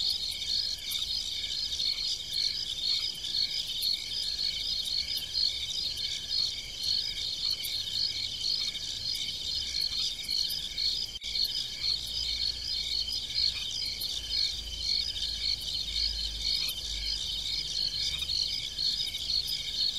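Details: Many crickets chirp in the fields at night on a farm, forming an unbroken high, rhythmic trilling chorus pulsing about twice each second, with a soft low hum in the background.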